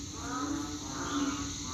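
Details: Banded bullfrogs calling after rain the night before, in a scene likened to rice fields: a steady, low, humming drone of overlapping calls with faint higher harmonics and no pauses.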